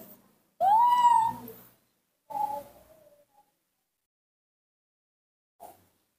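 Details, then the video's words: Newborn baby monkey, hand-reared at home, happy to see its milk, calls in a sweet little voice: one loud, clear cry that rises and then falls, a shorter, softer second call, and a brief faint squeak near the end. "calling in its sweet little voice, the newborn baby monkey was happy to see the milk"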